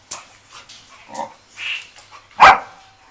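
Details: A dog at a dog resort in Phuket, Thailand, playing with another dog for the first time: short yips and barks, with a sharp louder bark near the end.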